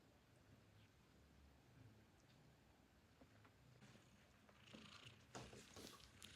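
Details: Newborn kittens nursing from their mother, contentedly purring while drinking milk: a low, rough, steady rumbling under soft suckling and rustling noises, with brief hissy bursts toward the end.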